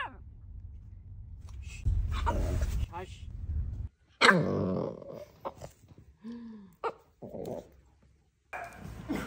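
A Boston Terrier gives sharp, harsh barks and a short whine, with a person talking and background hum.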